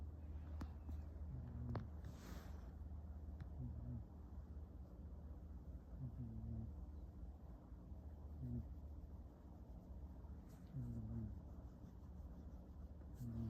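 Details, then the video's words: Pet cat Oliver dozing beside a person on a blanket-covered couch, giving deep, throaty snores that recur every two to three seconds, with a few faint clicks and rustles in between. "Snoring cat 2"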